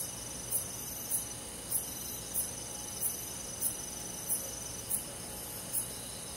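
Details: Summer night crickets in a forest, with sharp, high chirps repeating regularly about every 0.6 seconds over a dense, continuous ringing of other insects.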